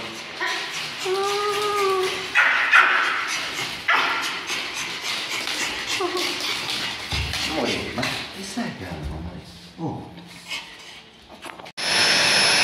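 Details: A Pomeranian puppy gives a thin, wavering whine followed by short yelps, apparently during grooming, with a person's voice nearby.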